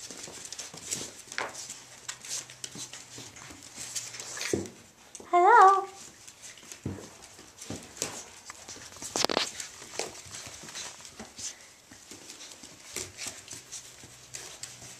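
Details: Three Irish Jack Russell Terrier male puppies, Mushroom, Portobello and Patty, playing at Violet Meadow Farm: soft scuffling and thumps of play throughout, broken midway by a single brief, high, wavering whine-yelp, over a faint low hum.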